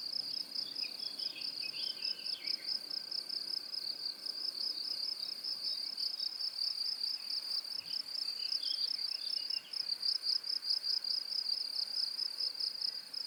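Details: A cricket gives a continuous high, pulsing trill at about 4.0–6.0 kHz that barely pauses.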